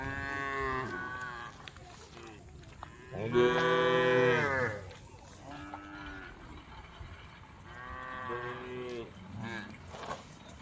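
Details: A group of tame female cows on a road calls the herd; a loud, drawn-out moo rises then falls near the middle, framed by softer, shorter lowing from other cows before and after, over faint background noise.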